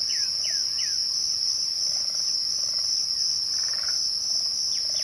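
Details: A short stretch of crickets at twilight, their high continuous trill constant. A few quick descending bird whistles open it, with faint buzzy notes later.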